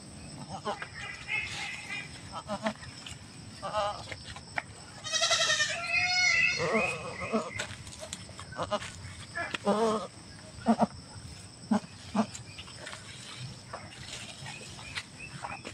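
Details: Domestic goat kept by a family, giving birth; a few strained, wavering bleats with bright harmonics near the middle, amid people talking and coaching the delivery and background music.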